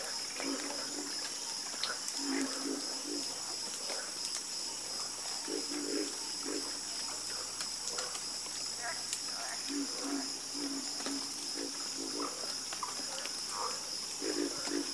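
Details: Dense frog chorus at night, many low croaks in overlapping bursts and runs, with a continuous shrill insect buzz layered above.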